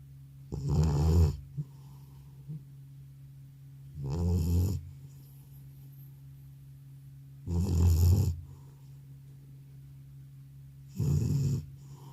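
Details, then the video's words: Aged cat, called grandpa, sound asleep after coming home from the vet, snoring loudly and evenly: four gravelly snores repeated roughly every three and a half seconds, indoors with a faint hum. "나의 늙은 고양이의 우렁찬 코골이 리얼사운드"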